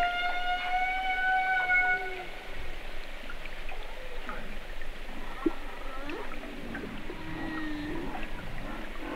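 Humpback whale song: a long, steady, horn-like moan followed by shorter rising and falling whoops and groans.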